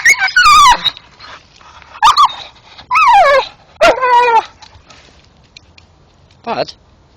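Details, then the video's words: Male Staffordshire bull terrier in the dark, frantically chewing a tree stump while vocalising: loud, harmonic whines that slide downward, in four bursts and one short final yelp, with a man's voice urging him on between them. "My Dog Bud going mad chewing tree making sounds dat are funny as hell"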